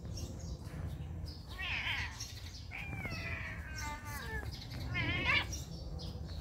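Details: Cat at a pagoda meowing repeatedly in quick succession: a brief cry, a longer falling meow with a wavering tone, then a short rising call, all over constant low hum and faint chirps.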